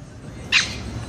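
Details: A single short, sharp yip from a playful Pomeranian puppy romping with another small dog indoors, with quiet background hum before and after.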